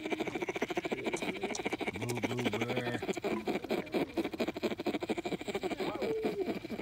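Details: Bear cub sucking on its paw while settling to sleep; one short low hum with a pulsing, wavy pitch sits among constant soft sucking clicks.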